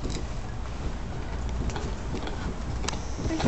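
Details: No animal is heard, only a steady low rumble of vehicle or engine noise with a few faint clicks and jangles.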